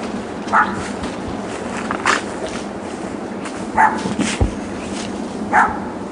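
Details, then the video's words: Neighbouring dogs left alone in a back yard all day on weekdays from 9am to 6pm in 2006, barking. Four sharp, separate barks come about one and a half seconds apart over a steady background hiss. "Barking Dogs"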